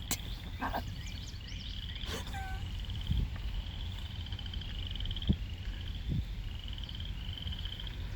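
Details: Frogs calling at Lake Manawa in Council Bluffs, Iowa: high, short, rattling trills repeated one after another over a steady low outdoor rumble, with a few knocks and faint human voices.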